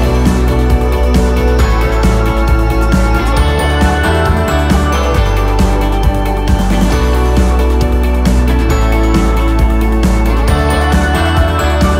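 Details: Dense background music with a steady bass beat and layered instruments runs throughout, and no animal calls stand out.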